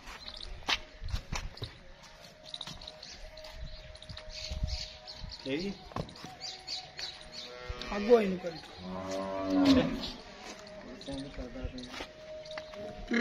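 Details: Nili-Ravi buffalo offered for sale in Punjab, Pakistan, recorded 21 March 2023; a low harmonic moo swells around the middle, drawn out for about two seconds, amid scattered speech, clatter and busy background noise.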